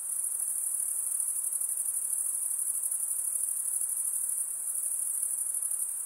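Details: Nocturnal insect chorus: a continuous, piercingly high, finely pulsing ringing trill at an even volume throughout, nothing else heard.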